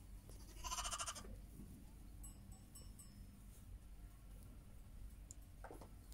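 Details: Heidschnucke ewes and lambs: a loud, high, bright bleat near the start, faint clicks in between, and a second shorter bleat near the end over low background rumble.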